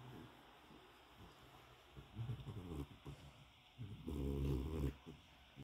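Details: A happy French bulldog in a new bed gives deep, gravelly grunts and snuffling snorts that swell into two longer rumbling bouts, like contented snuffles, over faint background hiss.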